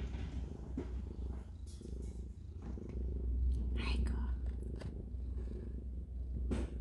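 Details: Ji-Soon, a house cat, with her kittens born that day while they suckle. A strong low throbbing purr pulses about three to four times a second and grows louder midway. Soft human murmuring and rustles overlap it.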